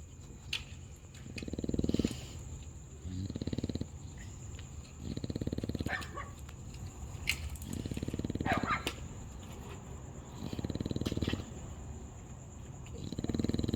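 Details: A sleeping dog snoring loudly, each low rumbling snore lasting about a second and recurring roughly every three seconds, with soft breathy sounds between snores and a steady high electronic whine in the background.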